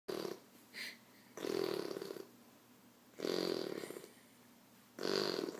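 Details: Tessa the dog snoring indoors, four broad raspy snorts at irregular intervals of one to two seconds, with a brief squeak between the first two and a woman speaking just afterward.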